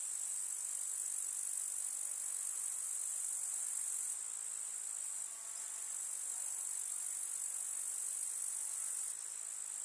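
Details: Chorus of grasshoppers in a rural summer meadow among field flowers, a continuous high, hissing trill of many insects at once, unbroken throughout, its texture changing slightly partway through and again near the end.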